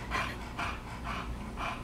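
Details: Samson, a bulldog, playing with his new playmate Sonny, pants heavily: four raspy, airy breath bursts, each about a quarter second long, come roughly every half second over a low indoor hum.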